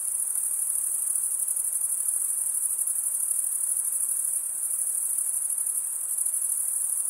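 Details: Relentless high cricket trill, a fine rapid pulsing held at a single pitch and even volume, with faint hiss underneath and nothing else audible.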